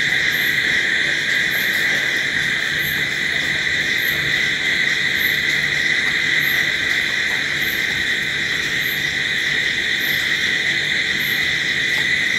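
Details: Night crickets in a continuous, unbroken chirping chorus. A steady shrill drone holds throughout, with faint high pulses repeating about twice per second. No other sounds are heard.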